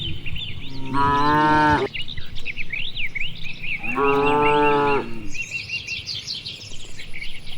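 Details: Cattle out grazing in wide rice fields on an afternoon, calling to one another: two deep, sustained moos about three seconds apart, with continuous chirping birds in the background.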